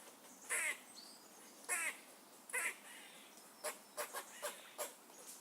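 A squirrel gives harsh, raspy calls, then a faster run of short, sharp chips.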